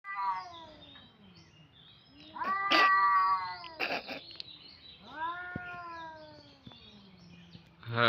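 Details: Two cats, one vocalizing in long drawn-out wavering yowls with rich harmonics, rising then sliding down, two main yowls around a sharp noise burst, with a man speaking Bengali nearby.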